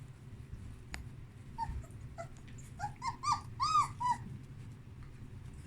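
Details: Young puppies from a whelping box, wanting to feed: after a quiet start, a handful of short rising-and-falling whines cluster in the middle, growing louder, then stop; low room hum throughout.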